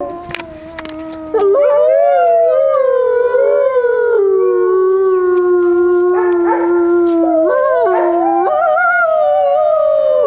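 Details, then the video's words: Wolves howling at Grodno Zoo; several long, wavering tonal howls overlapping in chorus, sliding up and down in pitch with a few sharp clicks at the start. "Волки воют в Гродненском зоопарке. Wolves howl at Grodno Zoo"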